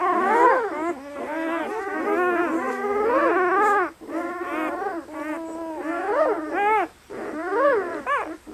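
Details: Newborn German Shepherd puppies at 48 hours old, a litter of eight red and black pups: continuous overlapping squeaky whines and yelps, rising and falling, pausing briefly now and then.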